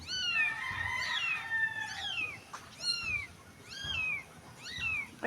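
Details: Small dirty stray kitten crying: five or six high, arching meows spaced about a second apart, each sliding downward, over low background noise.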